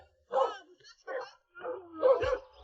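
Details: Domestic dogs kept at a remote Guizhou mountain home to watch for wild boar bark at a visitor: three or four separate barks spaced under a second apart, with a low thump near the end.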